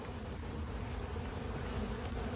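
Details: A dense, steady, unbroken drone of many Western honey bees after a colony's failed swarm attempt settled about ten frames into a small box, with many drones out.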